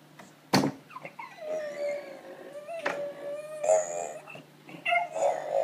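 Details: A pet dog howls in greeting as its people come home: a long, steady, slightly wavering tone held for about two seconds, then shorter rising yips and whines, indoors with a few clicks and rustles.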